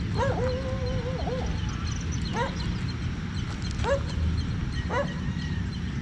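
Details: Siberian Husky named Rigel, out in the morning at a park parking lot after growing bored at home; a drawn-out level whine followed by short rising yelps spaced about a second apart, over steady low background rumble.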